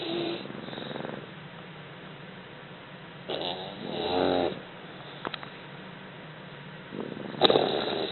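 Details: Two English Bulldog puppies snoring during a nap, with rough, breathy rattles rising and falling at a slow, uneven pace.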